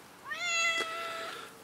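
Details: Pet cat utters one long meow that rises briefly at the start then holds a steady pitch for about a second, clear and harmonic, while a person talks softly to it nearby.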